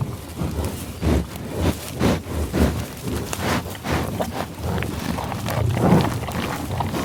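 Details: Bison on the tallgrass prairie near Pawhuska, Oklahoma, USA, sniffing close by: a string of breathy, low, rushing snorts roughly every half second, with grassy rustling beneath.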